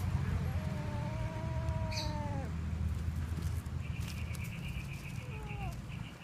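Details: Kitten catching a little mouse: a long, slightly falling meow with harmonics, then a short downward meow near the end, over steady low rumbling background noise.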